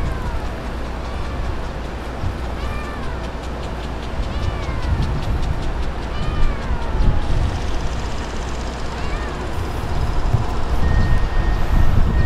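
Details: Stray kittens in a colony of ear-tipped cats being fed by a man on newspaper; thin, arching meows repeat in quick succession over a heavy, steady low rumble like traffic.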